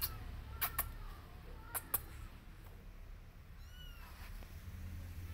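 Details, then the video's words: Mother cat calling her kittens to follow her while they ignore her: a few sharp clicks and taps, then one soft, high, arching meow near the end over a low steady rumble. "Mother Cat Wants Kittens To Follow Her But Kittens Don't Care"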